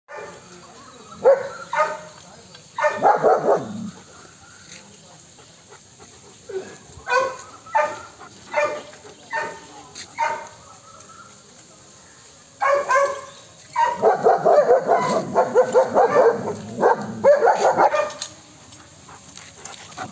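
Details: German Shepherd guarding the house and garden, barking: early loud bursts, then single deep barks about a second apart, then a fast volley of rough barks in the last third, with a man's voice nearby.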